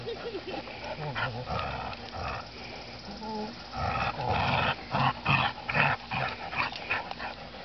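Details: Two dogs, a Golden Retriever and a Rottweiler, growl while playing tug-of-war. Low rumbling growls come in irregular bursts with scuffling and some human voices in the background.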